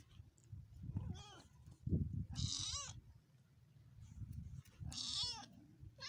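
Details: Three wavering, high meows from cats in a 2022 cute compilation: a soft one near the start, then two brighter, shaky cries about two and a half seconds apart, with low thumps and rumble underneath.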